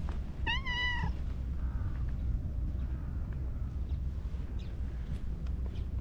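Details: Friendly orange tabby cat popping out from behind shrubbery outdoors gives one short, bright meow that rises and falls, followed by a steady low outdoor rumble and faint distant sounds.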